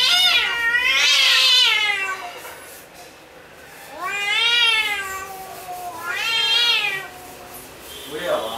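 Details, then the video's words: Cat in an angry, fighting mood making three loud harmonic-rich yowls, each swelling up and sliding down over about two seconds, separated by short quiet gaps, with a brief harsh burst closing the sequence. "Angry Cat in fighting mood"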